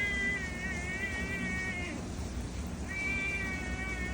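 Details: Cat in Pattaya, Thailand, complaining while getting wet in the rain: two long, drawn-out high meows of nearly level pitch, the first ending with a short upward twist, over a steady loud hiss of rain.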